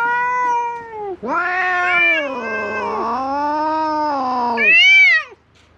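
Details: Stray cats fighting on a cat island, filmed with a GoPro HERO8: a long, drawn-out yowl wavers and bends in pitch for about four seconds, then breaks into a higher rising-and-falling wail before stopping.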